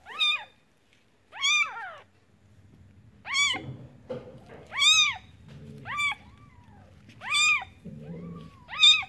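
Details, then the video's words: High-pitched arched mewing of a newborn kitten in a village, repeated cries roughly every second with irregular spacing, over a faint low background hum. "Suara Anak Kucing Baru Lahir"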